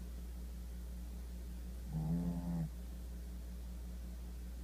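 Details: A sleeping Shih Tzu gives one low, rough snore lasting under a second over a steady background hum.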